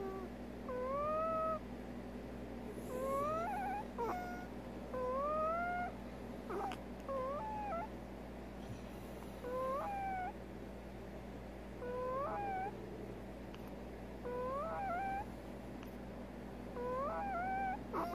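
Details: Pet female prairie dog with an odontoma, making an abnormal sound that returned after a few good weeks. Squeaky, whistled harmonic notes bend up and down in short clusters every two to three seconds over a steady indoor hum.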